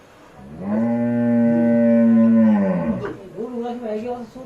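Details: Cattle being led out, a single long harmonic moo lasting about two seconds, steady then falling at the end, followed by a shorter wavering call and faint voices.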